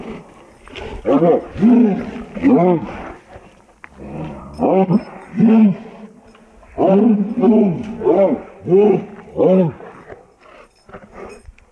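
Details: Snarling, roaring bursts from a fight between a Presa Canario and a pit bull mix, coming in rapid clusters of rough, rising-falling growl-barks with short quiet gaps between the clusters.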